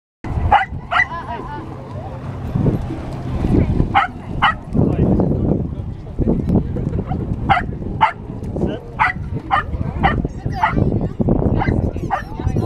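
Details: Dog at Cocker Cove, Palm Beach, Gold Coast, giving short sharp barks repeated roughly every half second to second over loud low rumbling wind or surf noise.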